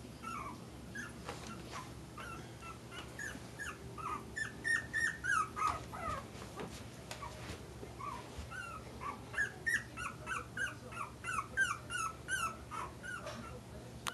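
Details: Playing puppies aged four weeks, producing quick high whines and yips that rise and fall in clustered runs, louder in the middle, with faint knocks and rustling behind.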